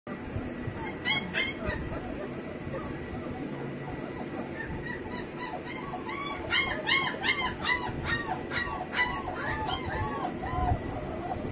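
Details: Home-bred heavy-bone double-coat German Shepherd puppies whimpering: high arched whines come in overlapping bursts, sparse at first and then a rapid run of many calls over a steady low background hum.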